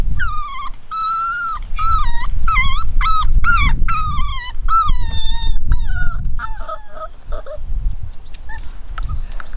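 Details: Nine-week-old chocolate cockapoo puppies from a home-bred litter give drawn-out whining cries that waver and bend, several in quick succession, fading into softer, shorter squeaks near the end over a low background rumble.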